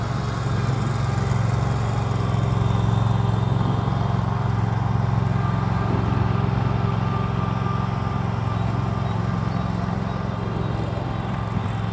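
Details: A steady low engine drone, like a mower or idling vehicle, with no animal voice.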